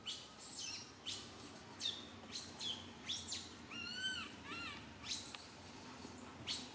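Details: Little Santo, a baby monkey on a branch, wails loudly while mother Sara cannot care for him; long high-pitched screams, then a run of short rising-falling whimpers, then more screaming.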